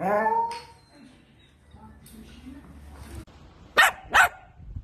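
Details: Playful miniature Dachshund: a falling harmonic whine opens, then quiet, then two sharp, loud barks close together near the end.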